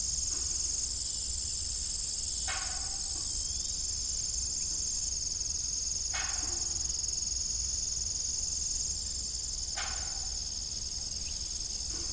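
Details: Farm ambience at dusk: crickets keep up a constant piercing high trill, layered pulsing voices shifting in loudness, with three clear creaks spaced a few seconds apart beneath them.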